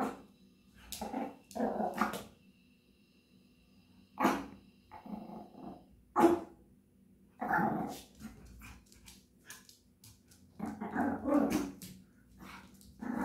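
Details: Japanese Chin singing, delivering a string of short, gravelly, moaning yowls in uneven bursts, some clustered in quick runs and others set apart by brief pauses, against a quiet background.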